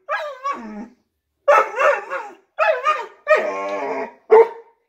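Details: Woody, a pet dog barking out the window at something he hears or senses outside, gives five loud, tonal yelping barks with wavering pitch, some drawn out and sliding downward, separated by short pauses.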